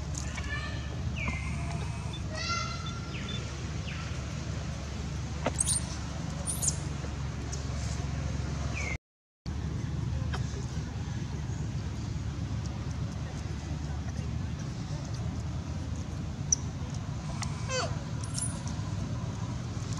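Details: Baby monkey Baron, kidnapped by monkey Bridget, cries loudly for his mother: a run of harmonic, falling whines in the first three seconds, then scattered high squeaks, over a steady low rumble with a brief silent gap.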